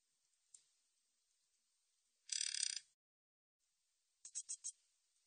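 Min's bush cricket giving a dry, high buzz followed by a quick run of short ticking pulses.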